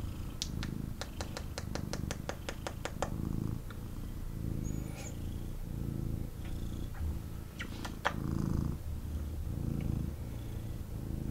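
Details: Intense purring from a male kitten held and snuggled in its owner's arms; deep continuous rumble rising and falling in breath-length cycles, opened by a burst of rapid ticking clicks and a few later taps.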